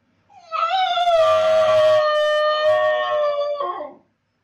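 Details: A Basenji howls in its owner's absence: one continuous, slightly wavering, flat-pitched wail of about three seconds, dropping sharply at the end.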